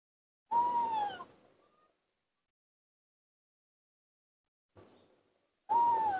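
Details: A baby monkey, alone and confused while playing in the dirt of a front yard, gives clear whistled cries that fall in pitch. Two strong cries about five seconds apart frame a faint short one, with silence between.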